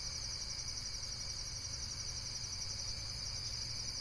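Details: Unbroken shrill insect trill, finely pulsed and unchanging in pitch, over a continuous low droning hum.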